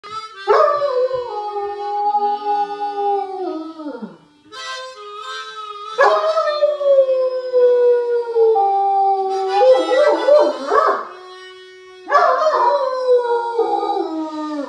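A Great Dane howls in long, wavering tones that slide downward, with a harmonica playing along.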